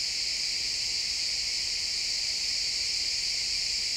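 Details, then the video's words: Many crickets in a pine forest at sunset, recorded in XY stereo in real time, produce a dense, uniform, high shimmering drone without distinct individual chirps. "Cricket sounds in the pine forest"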